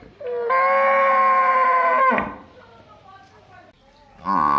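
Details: Village buffalo or cow lets out one steady, sustained moo of about two seconds that ends abruptly, followed by a quiet spell and the start of another loud call.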